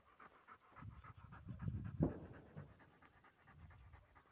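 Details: Female dog called Brin, during retrieve training with a dumbbell, pants in quick breathy puffs, close to three per second, with one louder huff near the middle.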